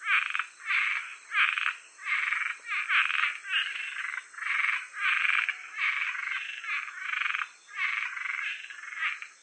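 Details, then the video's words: A Cuban treefrog (Osteopilus septentrionalis) gives rasping, snoring croaks in a steady run, each lasting about half a second; an audio supplement to a guide to Georgia's amphibians and reptiles. "Cuban Treefrog"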